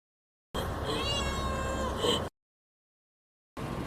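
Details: Siamese cat Jessica, drowsy and wanting to sleep while birds keep calling nearby, gives one drawn-out harmonic meow lasting nearly two seconds, steady with a slight rise and fall, followed by silence.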